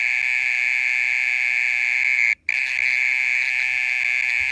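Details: Mole cricket calling at night for more than half an hour; a continuous, high, buzzing trill, unbroken except for one brief gap midway.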